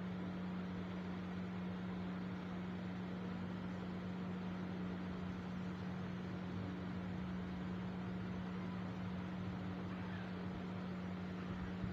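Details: A quiet, unbroken mechanical hum with a steady low tone runs through the whole stretch, like a motor or appliance.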